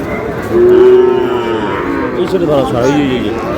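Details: Sahiwal cattle at a cattle market with Barishal farmers buying bulls and heifer calves, 19 August: one strong, sustained moo, steady then briefly wavering near the end, with market voices in the background.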